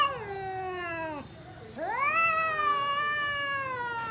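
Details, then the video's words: Domestic cat during a fight, giving two long drawn-out yowls: the first slides slowly downward and breaks off, then after a short gap a second yowl rises steeply and holds a long, steady, wavering tone. "cat funny fights sound"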